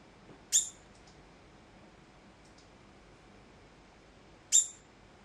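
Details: Alarm calls from a degu that began calling abruptly with no evident cause: two shrill, very high squeaks about four seconds apart, with a couple of faint softer ticks between them in a quiet room.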